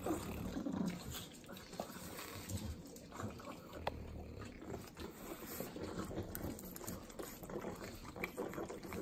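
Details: Butter-eating pugs, three dogs in the Inland Empire of Southern California, licking sloppily: soft wet smacks and clicks patter steadily, with faint low snuffles underneath and an occasional sharper tongue click.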